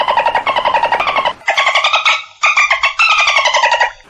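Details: Dolphin vocalising in rapid pulsed bursts, harsh and rasping with bright harmonic layers. Three or four separate squawking phrases are heard, each about a second long, some dipping and others rising in pitch.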